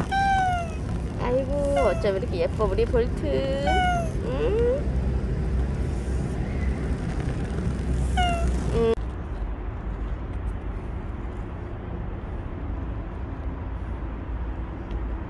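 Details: Bolt the stray cat, who stayed around for a year and five months, meowing repeatedly in a last recording, a quick run of wavering meows over the first five seconds, then only a steady broadband noise.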